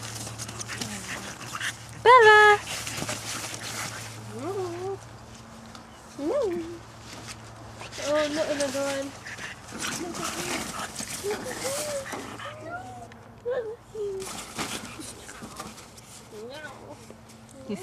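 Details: Five-week-old French Bulldog puppies playing outside give short high squeaky yelps and rising whines, scattered through the clip, over people talking and calling the puppies by name.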